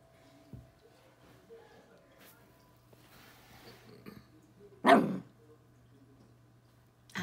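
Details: A twelve-week-old Corgi pup facing off with a bug gives one loud, sharp bark midway after a stretch of soft rustling, with a second bark starting as the recording ends; low background hum throughout.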